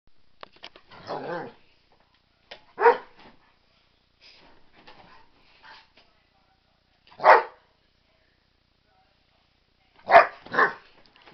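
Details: Pet dog having an excited, frenzied turn; single short barks every few seconds with quiet gaps between, plus fainter scuffling and softer vocal noises.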